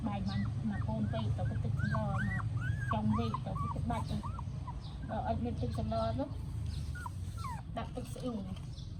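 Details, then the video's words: Weak newborn puppy in Siem Reap, Cambodia, whimpering in a rapid run of short arched squeals, several per second, with Khmer speech and a low steady hum underneath. "Weak but Brave: Newborn Puppy Fighting to Live"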